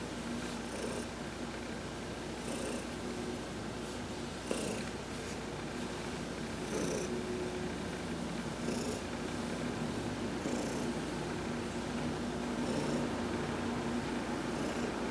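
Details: Heidi, an adopted domestic cat, purring while being massaged during a sunbath on November 19, 2020; a steady, low rumbling purr runs unbroken throughout, with soft brushing and rubbing noises from the massage.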